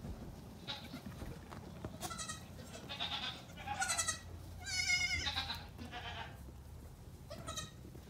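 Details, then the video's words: Feisty Nigerian Dwarf goat kids, 3 days to 2 weeks old, out together on a farm one morning; loud, bright, trembling bleats follow one another closely, the strongest a long vibrating cry near five seconds, over faint shuffling. "The Greatest Goat Kid PJ Party Ever!"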